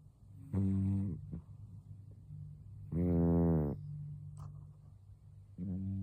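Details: Karashi, aged 12, a cat who snores frequently in sleep and might have a cold: two rasping, buzzy snores roughly two seconds apart, then a third starting, with a faint click between.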